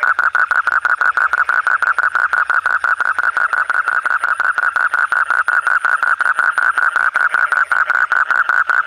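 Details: Night frog call: a continuous, rapid, slightly uneven series of short mid-pitched croaks, close to three per second, with no other clear sounds.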